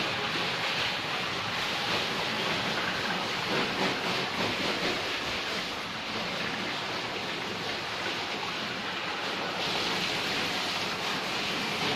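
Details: Steady broadband rushing noise, like surf or machinery, fills the recording with no animal voice standing out.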